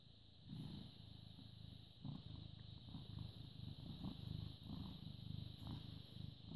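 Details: British Shorthair cat, born 18 August 2010, filmed 14 May 2017 at 09:16, purring steadily: a low rumbling vibration in rhythmic swells about once a second, with a faint steady hum in the background.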